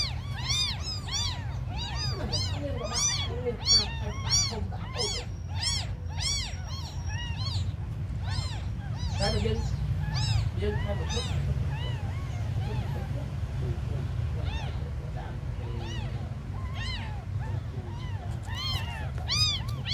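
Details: A chorus of tiny abandoned kittens mewing almost nonstop: dense, high, arched cries overlapping from several kittens, heaviest in the first half, over a low rumbling background.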